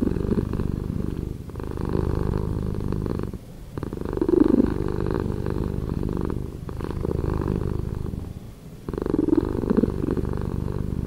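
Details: Slowed-down cat purr, a thick, low rumble rising and falling in a breathing rhythm, with stronger swells roughly every two to three seconds and brief quieter dips between them.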